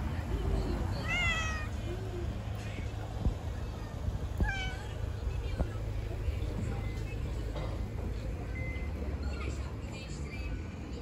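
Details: Hungry stray cats living on the street asking for food: two drawn-out, harmonic meows, one near the start and one midway, over a steady low rumble with faint clicks.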